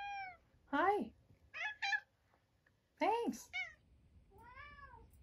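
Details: Harpo, a 13-year-old cancer-survivor house cat, carries his toy sea monster and meows: a few loud, sharply falling cries and short chirpy calls with pauses between, ending on a softer arched meow in a quiet room.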